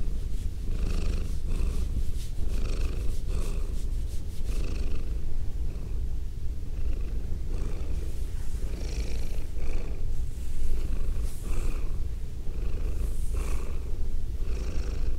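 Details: Female domestic cat purring, recorded close up with binaural microphones; a deep, steady rumbling purr throughout with rhythmic pulses and soft rustling from petting.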